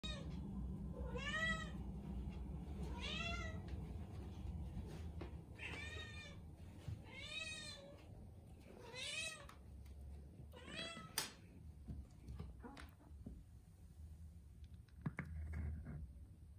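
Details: Hungry cats at feeding time give a run of clear, rising-then-falling meows, about one every one to two seconds over the first ten seconds, followed by clinks and soft clatter from the feeding in a small room.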